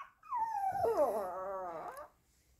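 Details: Pomeranian Ponki howls wolf-like when left at home by its owner: a single drawn-out howl that starts high, drops, then holds a steady wavering rich tone for over a second before breaking off, with faint room noise.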